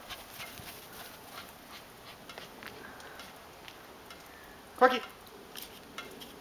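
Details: A corgi playing in the snow gives one short, sharp bark that stands out against a quiet background hiss.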